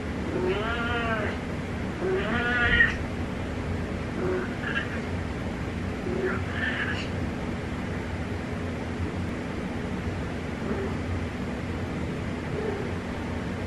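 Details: Domestic cat meowing in the darkness: two clear, drawn-out rising-and-falling meows near the start, then several shorter, fainter mews spaced out over the following seconds, over a steady low indoor hum.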